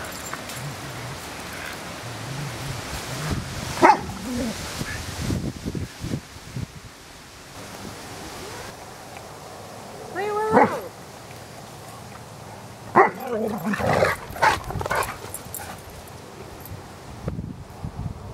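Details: Willow, a 5-year-old Spaniel mix in rescue foster care, romping with other dogs at her foster home; a few short sharp barks break out near 4, 10 and 13 to 15 seconds over scuffling and play noise.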